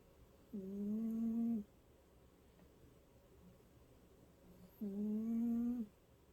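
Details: Snoring cat gives a pair of even, buzzing-hum snores about a second long, spaced around four seconds apart, with little else audible.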